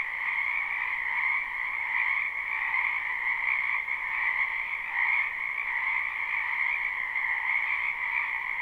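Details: Many frogs croaking in a wetland in spring, recorded live without looping: a dense, unbroken chorus of overlapping trilled croaks forming a steady shimmering drone, swelling and fading slightly, with no other sounds.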